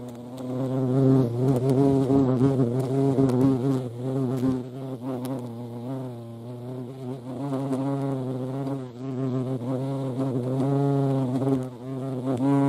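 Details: European hornet (Vespa crabro) flying around a feeding place, its deep buzzing hum rising and falling in pitch and loudness over several seconds, with occasional faint ticks.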